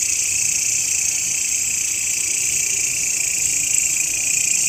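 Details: Short stretch of grasshopper sound for training songbirds: a constant high shrill buzz in layered bands, even in loudness, with no pauses.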